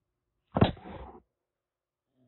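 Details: Rescued calico kitten Aki, some six weeks old, caged in Kagoshima, Japan, hissing as a threat: a single forceful breathy spit lasting under a second, fading out, with a faint low murmur near the end.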